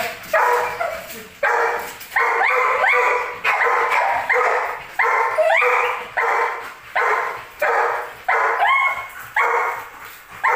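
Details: Belgian Malinois barking aggressively, loud harsh barks with rising yelping tones, repeated roughly every second in steady bursts, no other sounds clear.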